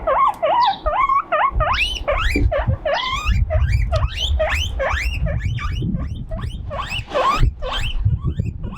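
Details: Young male guinea pig alone on a windy veranda, crying out loudly from loneliness: rapid series of shrill, rising whistled squeals, several per second, over a steady low rumble of wind.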